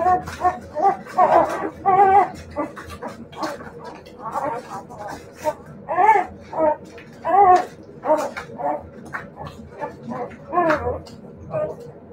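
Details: Siberian Husky puppies giving a run of short, wavering whines and yelps in bursts about a second long, some with a bent, warbling pitch, separated by brief pauses.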